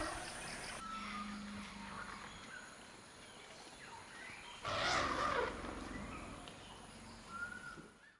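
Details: An African forest elephant, likely a young one chasing sitatunga antelope in a forest clearing (bai), lets out one loud, harsh, brassy blast against a steady hiss of forest background.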